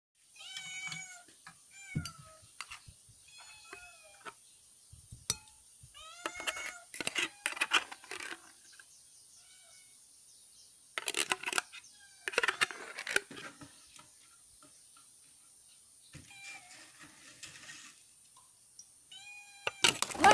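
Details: Domestic cat indoors, noisy before being fed: a long run of harmonic, downward-sliding meows, often in quick pairs or bursts, mixed with loud clattering and rustling noises.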